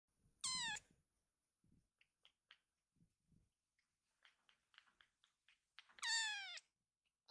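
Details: Rescued kitten Ama calling scattered littermates to gather into a pile: two loud, clear meows, the first falling and the second dipping then flattening, about five seconds apart, with soft taps and rustles between them.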